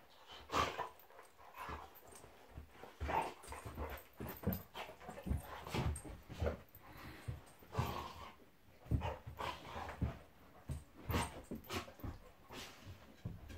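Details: Golden Retriever Monty in a play fight with Eric, a Labrador, two pet dogs: a steady stream of short growls, snorts and yips, every second or so, with scuffling between.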